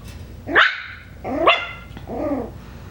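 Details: Five-week-old Coton de Tulear puppies from Hannah's litter, out of their kennel for the first time: three high, squeaky yips in quick succession, each bending up then down, with soft room noise behind.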